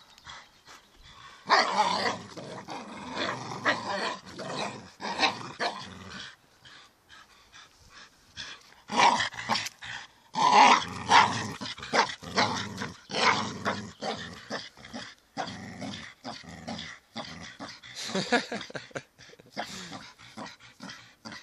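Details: Staffordshire Bull Terrier growling and barking: a long rough rumbling growl early on, then a cluster of loud, gruff barks and snarls in the middle, continuing with intermittent growly bursts.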